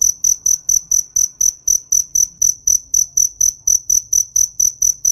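A cricket gives high, pure chirps in a steady, rapid series, about four each second.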